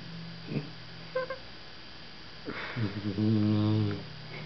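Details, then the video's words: Igor, a pit bull also called Iggy, snores while sitting asleep on a lap indoors; a few soft sniffs and rustles, then a long, rasping, low buzzing snore of about a second. "PIT BULL SNORING"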